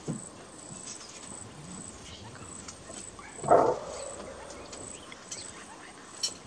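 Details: Greater kudu in Kruger National Park gives one loud, gruff alarm bark that fades quickly against a steady buzz of insects.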